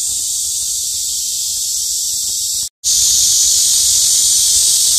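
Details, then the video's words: ['Summer cicada chorus from tree branches on a daily walk to work: intense high-pitched buzzing, briefly cut to silence midway, then continuing just as loud.'] "CICADA'S SOUNDS"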